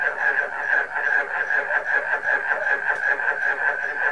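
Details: Short stretch of a frog concert with barking crickets: continuous, overlapping rattling croaks in quick rhythmic pulses, the whole chorus holding an even, loud level.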